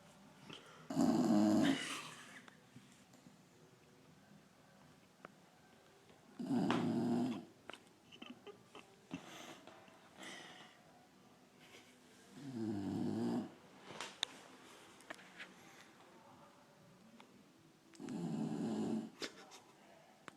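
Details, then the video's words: Sleeping pet dog snoring loudly, its owner likening it to a drunk man: four long, rasping, growl-like snores about six seconds apart, each swelling then cutting off, with quiet breathing noises between. "Dog snoring funny !!!"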